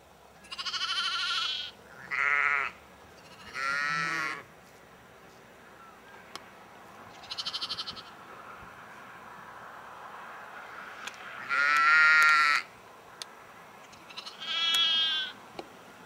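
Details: Sheep in Egton, North Riding of Yorkshire, in April 2012, bleating in bursts of about a second, some wavering and quavering, others steadier, with several voices at differing loudness and quiet gaps between calls.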